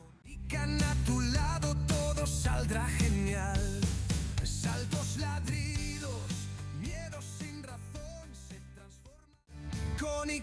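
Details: Loud rock music with singing and driving drums fills the whole stretch, with no animal voice. A brief drop near the end breaks the music before it returns at full strength.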